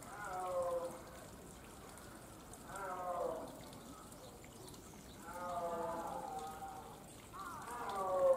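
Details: Snow leopard kept at Tama Zoological Park in Tokyo, Japan, gives four drawn-out, harmonic moaning calls, each lasting about a second and spaced two to three seconds apart, over a soft background of trickling water.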